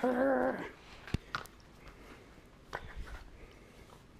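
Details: A male Italian Greyhound playfully attacking his owner gives a brief, tonal growling whine, followed by soft thumps and clicks.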